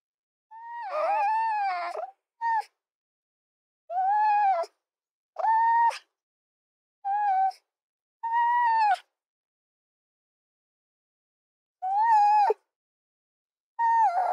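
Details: A red fox gives a series of short whining cries, some rising and others falling or breaking off, at irregular intervals over about fourteen seconds, with one longer pause midway.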